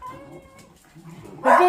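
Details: Indoors at home, beagle puppies making noise downstairs: a drawn-out, wavering bay, then a sudden loud, harsh bark over a man's voice.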